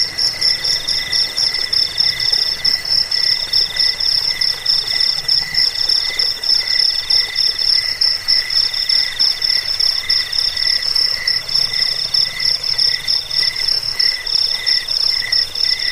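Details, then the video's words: Cricket sound, said to drive away rats, lull to sleep and serve as a model for training songbirds: continuous pulsed high trilling in steady bands, with several callers overlapping in long repeated phrases. "Suara jangkik pengusir tikus pengantar tidur"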